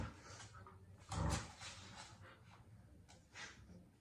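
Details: Miniature Australian Shepherd pulling at a birthday toy in tug of war lets out one loud, deep bark-like growl, followed by quieter scuffling and faint clicks.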